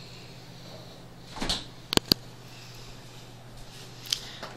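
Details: A few sharp clicks and soft knocks, like a cupboard or drawer, in a small quiet room over a low electrical hum, with no animal voice.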